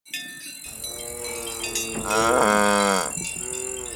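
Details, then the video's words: Cows grazing in a ripe golden rice field on a peaceful countryside afternoon; a deep, rich moo swells and then falls away mid-clip, followed by a shorter second low call, over a steady high-pitched background hum. "The sound of cows grazing"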